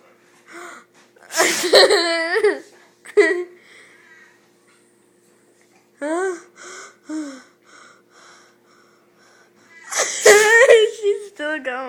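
A Rottweiler sneezes in sharp, explosive bursts, with a person talking and laughing nearby.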